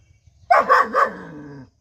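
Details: Five-month-old German Shepherd puppy giving a run of three quick barks that trail into a falling whine, in a room with little background noise.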